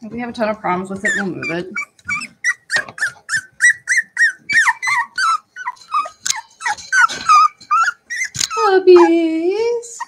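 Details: Several Cavalier King Charles Spaniel puppies at play in a house: a steady run of short, sharp yelps about three per second, ending in a long wavering whine, with brief human voices at the start.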